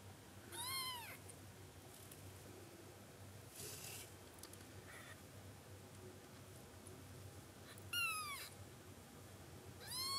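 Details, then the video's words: Male short-legged Munchkin kitten on its first day of life, born 24 October 2020, indoors, giving loud, high, sharply falling meows: one near the start, one at about eight seconds, one at the end, with faint hiss between. "A powerful meow of a kitten on the first day of life"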